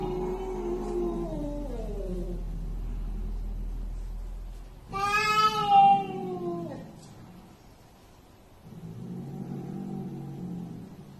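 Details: Cat in a compilation of funny pets: one drawn-out, bright meow that slides downward in pitch. Background music plays throughout and people laugh and exclaim nearby.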